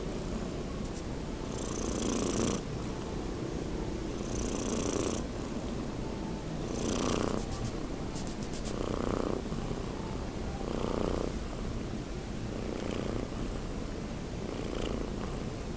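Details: Young pet cat Nino, almost six months of age, snoring in his sleep: a regular train of about seven breathy, rasping exhalations, one every two to two and a half seconds, above a constant low rumble.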